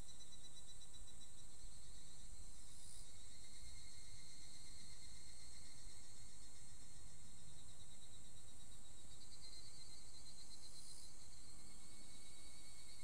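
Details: Evening cicada (higurashi) singing just after the end of the rainy season, unusually calling together with a Japanese bush warbler; steady high, shrill ringing bands that swell briefly near the start and again near the end over a low rumble.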